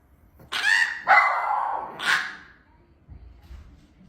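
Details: Domestic dog giving three sharp, harsh barks about half a second apart, then a quieter pause with faint low rumbling.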